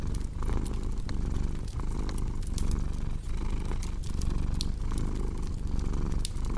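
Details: Continuous low purring of a cat with a gentle breathing rhythm, set against the dry crackle and occasional louder snaps of a burning fireplace.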